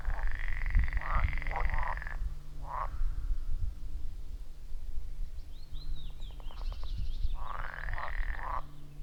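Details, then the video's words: Frogs at a wild forest pond, recorded on iPhone 14 Pro with Shure MV88+, give a few separate rattling croaks over a steady low hum, with a short burst of clicking and chirping midway. "30 Minutes of Frog Sounds at a Forest Pond"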